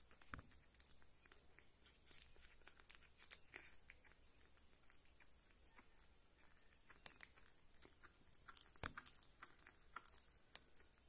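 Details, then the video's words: Rita, a pet kitten who is a keen eater, chews food in a small indoor room. Dense, wet, crunchy clicks and smacks come quickly and irregularly, with a few louder bites standing out. No other sounds are heard. "Small Kitty Sounds Kitten Eating Meat & Drinking Milk"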